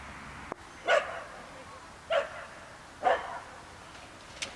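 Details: Galgo Español, a Spanish greyhound, running at the Geestmerambacht dog park: three short, sharp barks about a second apart, fairly faint over a steady low outdoor hiss.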